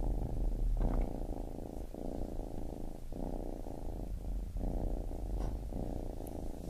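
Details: Soft low purring from a baby kitten, rhythmic rumbling phrases separated by brief breath gaps about every second, otherwise quiet.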